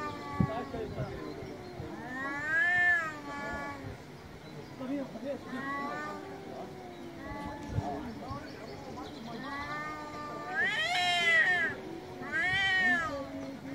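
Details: Angry domestic cats meowing loudly: several arched, rising-falling meows come in bursts, the strongest clustered near the end, with lower voice-like sounds running through much of the recording.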